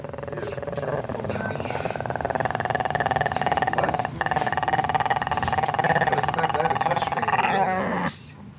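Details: Shih Tzu, a female, growling while her owner pets her, though her tail keeps wagging; a steady, low, rattling growl runs almost unbroken for eight seconds, with a woman talking to her over it.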